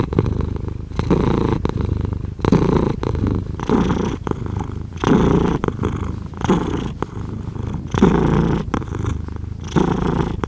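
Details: Long stretch of a pet cat purring, a low, even motor-like rumble that rises and falls in rhythmic breathing cycles of roughly a second each, clean and close.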